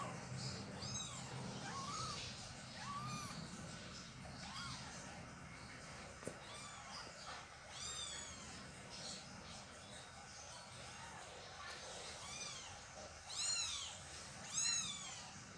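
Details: Domestic kittens while their mother cat moves them: repeated high, arched mewing calls in short bursts across the recording, some stacked and overlapping, with steady low background hum and a faint click.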